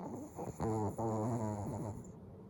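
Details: Sleeping dog, eyes left open, snores in short, rough, rattling pulses, a brief burst and then a longer buzzing snore over a quiet indoor background.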